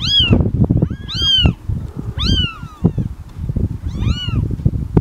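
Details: Cat meows, four drawn-out arching calls with bright harmonics, over loud low rumbling and handling noise close to the microphone.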